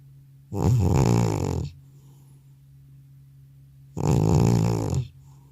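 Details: Old cat deeply asleep indoors after returning from a vet visit, snoring loudly: two long rasping, low-pitched snores about three seconds apart, each lasting over a second, with quiet pauses between; a faint steady hum in the background.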